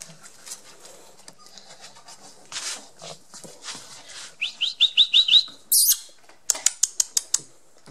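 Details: Twenty-three-day-old Border Collie puppies Yack and Star, blue-merle and black-and-white, from Mafalda's litter: a quick run of about five high, rising squeaky whimpers, amid soft rustling and clicking, followed by a burst of sharp ticks.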